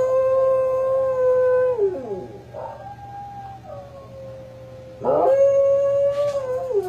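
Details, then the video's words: Dog howling: a long sustained tone held steady for nearly two seconds, sliding down and breaking off, a quieter middle stretch, then a second strong steady howl that wavers slightly near its end. "DOG HOWLING SOUNDS"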